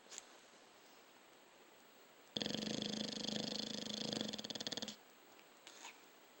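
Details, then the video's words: Snoring dog: a single harsh, buzzing inhalation lasting about two and a half seconds, built from quick vibrating pulses and rolling off in a stutter, between quiet indoor pauses with a couple of faint clicks. "Snoring dog"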